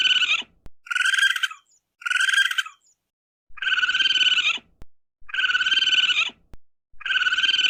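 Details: Raccoon calls in a series of harsh, buzzing trills, two short bursts followed by three longer, louder ones, each with a rapid pulsing texture and brief pauses between; faint low rumble underneath.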